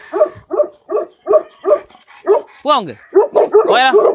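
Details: Tibetan Mastiff dog barking in a steady run of short, deep barks about every 0.4 seconds, followed by a brief high whining sound and a few more barks at the end.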